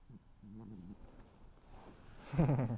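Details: Sleeping tuxedo cat called Noodle gives low, wavering snore sounds: a short quivering breath early on, then a louder, rougher snore at the very end.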